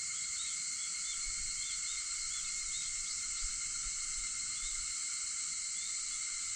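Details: August dawn cicadas, 4:50 a.m., keeping up a constant high-pitched whirring wall of sound with light chirps woven through and a few soft low thumps in the background.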